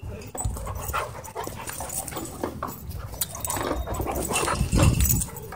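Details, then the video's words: A dog named Loki, excited and running wild at a dog park, gives rough, scattered barks and whimpers over a dense wash of outdoor noise, with grumbling low rumble throughout. "Dog Goes Crazy At Dog Park"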